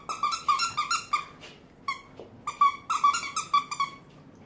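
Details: French bulldog, a female indoor pet, vocalising on her owner's command: bursts of high, squeaky, harmonic whines in quick runs, a pause, then another rapid series, with faint voice between in a small room.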